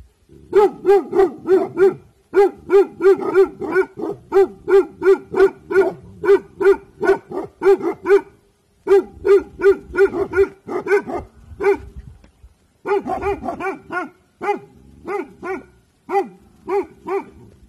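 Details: Alert Bhotia dog Dabu Goli guarding at evening: long, rapid runs of loud, ringing barks, nearly continuous, broken by a few brief pauses.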